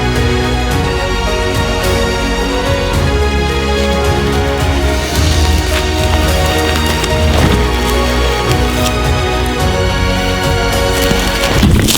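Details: Loud, dense theme music with a steady low beat and layered instruments fills the whole stretch, with no animal voice audible.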